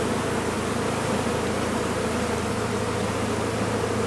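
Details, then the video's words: Honey bees from a big colony nesting in a blocked-off chimney, heard as it is being recovered. A thick, unbroken hum of many wings with an even, grainy texture and a low steady drone beneath, no pauses. "Récupération d'une grosse colonie d'abeilles dans une cheminée condamnée"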